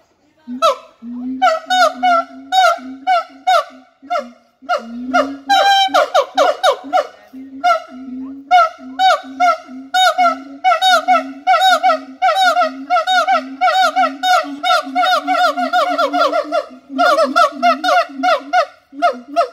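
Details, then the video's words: Siamang calling in a fast, steady series. Low booming tones alternate with loud, harsh barks that fall in pitch and are rich in overtones, repeated several times a second with only brief pauses. "suara monyet siamang / gibbon monkey sound"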